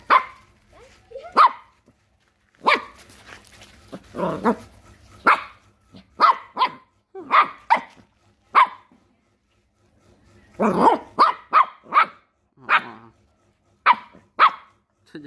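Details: A puppy barks at a crab, giving sharp, high-pitched yappy barks in short bursts, singly and in quick runs.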